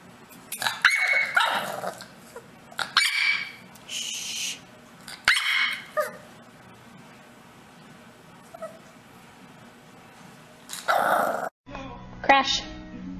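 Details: Dog barking in a handful of loud, rough bursts spread over several seconds, with quieter gaps between them, a few tonal yips mixed in, and a final burst near the end.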